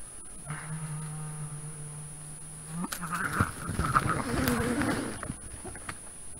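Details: On Saaremaa, 5 September 2021, around 22:06, a Eurasian badger confronting a raccoon dog gives a long, steady, low moaning note, then a burst of harsh chattering and scuffling.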